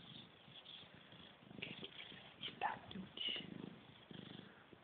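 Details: Siamese kittens bred at Cattery Van Scarlettini, known as talking cats, give soft, short high-pitched mews over a low purring rumble indoors, with quiet human voices in the background.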